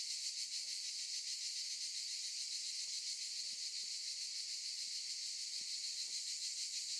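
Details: Chorus of cicadas among olive trees, a steady shrill hiss-like buzz with rapid flickering pulses that never pauses, with a few faint soft clicks beneath.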